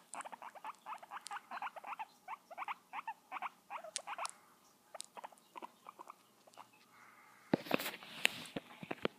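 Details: Guinea pig 'kisses' come as a fast regular run of short squeaks, about four per second, then pause; a burst of rustling handling noise follows near the end.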